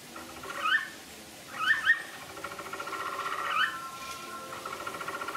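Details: A male capybara (Hydrochoerus hydrochaeris) gives three or four short, squeaky upward chirps about a second apart, then a thin, steady, nasal whine; cry.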